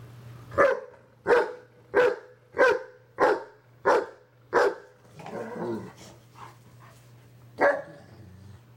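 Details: German Shepherd reprimanding an over-excited, hyper Pit Bull indoors: seven sharp, loud barks about every 0.6 seconds, then a jumble of softer yips and scuffling, and one last bark near the end over a low steady hum.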